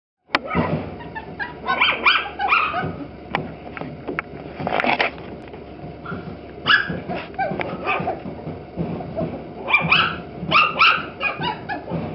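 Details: Toy Poodle puppies recorded with a Nikon D5000 camera: several young dogs give short, high, harmonic whimpers and yips in uneven bursts, some overlapping, with quieter gaps between clusters.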